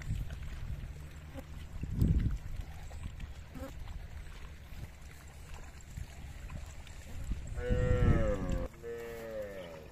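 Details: Cows of a herd walking down to a river: quiet low rumble, a brief grunt early, then a long, loud, richly harmonic moo that wavers and fades, followed by a softer moo.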